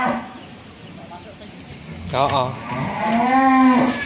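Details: A very large Limousin bull, one of three delivered to a cattle seller in Tempel, Sleman, Indonesia, agitated after its rope came loose, gives a short rough cry, then a long, loud, steady moo lasting about a second and a half.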